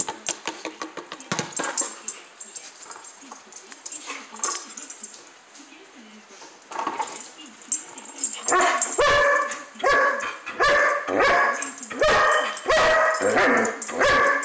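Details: German Shepherd playing, giving a run of loud, sharp, harmonic barks in quick succession through the second half, after softer, scattered dog noises at the start.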